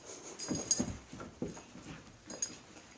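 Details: Mickey, a pet dog, playing indoors with Blacky, his favourite toy: short whimpering grunts in quick bursts, several close together, over faint hiss in a small room.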